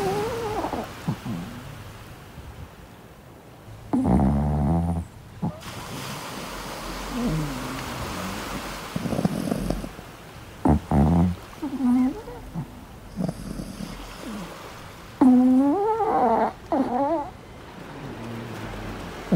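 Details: Chihuahua puppy talking in its sleep during van camping on the beach: soft, squeaky whimpers and wavering little moans come in short bursts, loudest near the end, between rustles and muffled bumps.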